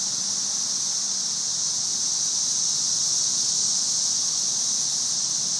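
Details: Continuous high hiss of a cicada invasion in May 2011, the masses in the trees blending into one even, sizzling drone without pauses or rhythm.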